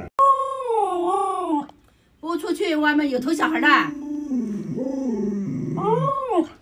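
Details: Pet Alaskan Malamute Luoluo, a dog that knows 36 tricks, gives long wavering howls that slide down and then rise again, with a short silent gap in the middle and a final arched wail.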